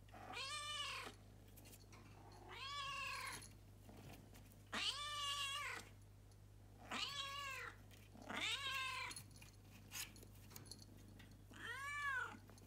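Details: House cat Luna, living with a family in Japan, calls at 6 am once the upstairs toilet flush signals everyone is up; six loud arched meows repeat roughly every two seconds over a low steady hum.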